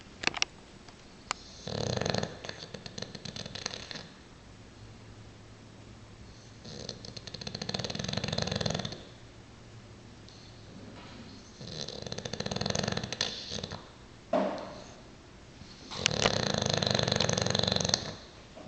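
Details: Diesel, an English Bulldog, sleeping and snoring in a small room, giving loud, harsh, rattling snores of one to two seconds each at irregular spacing, with low soft breathing between them.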